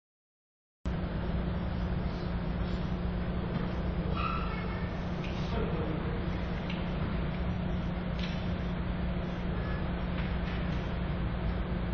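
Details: A constant low rumble of engine or machinery fills the recording, with a few faint voice-like sounds above it. No animal call stands out from the noise.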